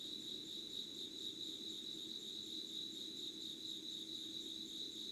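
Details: Insects calling at 05:00 on 25 August 2019 in Yugawara, Kanagawa, Japan: a steady high chirring band with faint upper harmonics, continuous and unbroken, over a low background hum.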